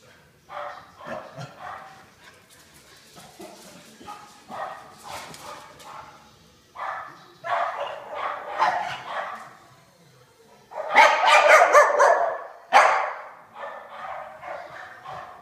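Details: Pet dogs Pig and Joker chase each other in their daily tag game. Grumbling growls and short yipping barks come in uneven runs, with louder, harsher bursts near the end.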